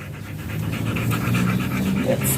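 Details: German Shepherd during a stud session at Nalsian, Manaoag, Pangasinan, panting in a quick regular rhythm of breathy pulses, with a low hum underneath.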